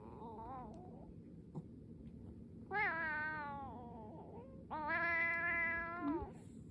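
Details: Domestic cat grooming her reluctant older brother indoors; a soft short mew, then two long drawn-out meows with rich harmonics, the second steady and sustained for about a second and a half, in a quiet room.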